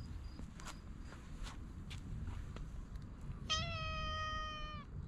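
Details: Stray cat being patted on the lower back outdoors, giving a single clear, drawn-out meow that slides slightly downward, after several seconds of soft clicks and low background rumble.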